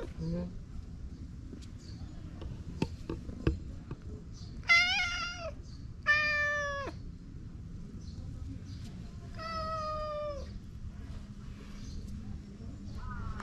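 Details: Okappa-chan, a stray cat in a Japanese park, being affectionate and rubbing against a person: three clear, drawn-out meows with rich harmonics, spaced a few seconds apart, over quiet background murmur and light handling noises.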